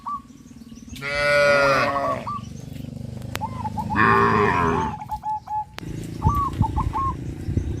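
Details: Tame village cattle going to a green pasture in the morning. Two long, full moos, each about a second, come some three seconds apart. Short chirping bird calls sound in between and after them.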